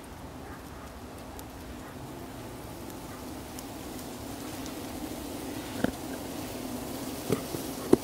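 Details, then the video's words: Buff-tailed bumblebees humming inside a nest box colony in early July, with young queens and males present; a steady low droning hum runs throughout, broken by a few sharp clicks and taps near the end. "Nest van Bombus terrestris."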